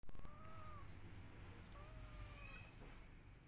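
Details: Kittens crying and meowing for their missing mother: three thin, arching meows, the first two drawn out and the last higher and shorter, rise faintly above a heavy low rumble like passing traffic.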